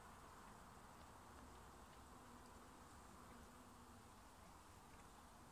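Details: Dense, even buzzing of many honey bees at an opened backyard hive in Nova Scotia while a beekeeper works the frames. A continuous low hum with a faint steady tone, unbroken for the whole stretch.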